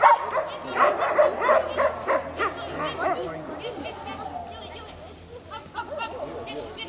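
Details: Two Bohemian Shepherd dogs pulling a kick scooter in a sprint race of 7.8 km over two stages. Quick run of sharp, repeated barks for about two seconds, then fading to softer sounds, with a person's voice alongside.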